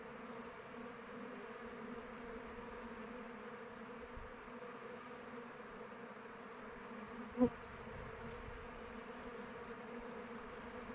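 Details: Many honey bees in flight around a hive in open weather, giving an unbroken droning hum of wings that holds level, broken once by a short sharp click about seven seconds in.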